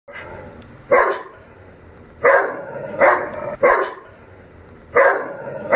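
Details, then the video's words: Doberman Pinscher in aggressive mode barks loudly: five deep, harsh barks spaced irregularly about one to one and a half seconds apart, with a low rumbling growl between them. "doberman pinscher aggressive mode"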